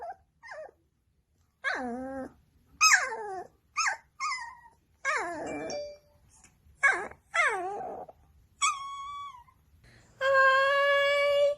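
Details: Pet dog vocalizing at its owners in a funny compilation of dogs 'talking' and arguing with their humans: a string of short, bending whines and yelps in separate bursts, ending in a longer, steady, nasal whine indoors.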